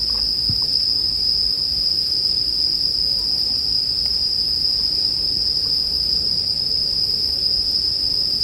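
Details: A dense chorus of bell crickets rings on one constant high note throughout, accompanied by a gentle crackling fire with a few soft pops, presented as soothing sleep music.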